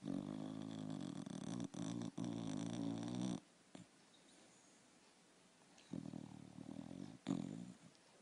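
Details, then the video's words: Sleeping dog snores with one long, deep, rattling breath lasting over three seconds, then a quiet pause before two shorter grating snorts follow. "Собака храпит"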